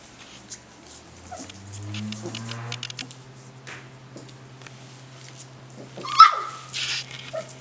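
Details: One-month-old Golden Retriever puppies playing: low drawn-out growling rumbles, then one sharp high yelp near the end, with rustling and faint voices.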